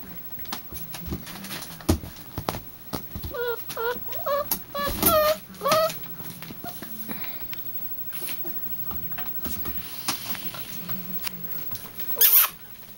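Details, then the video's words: Kayla's puppies whimper in short bursts of high, wavering whines clustered in the middle of the recording, amid scattered clicks, rustles and household noise, ending with a sharp knock. "kaylas pups"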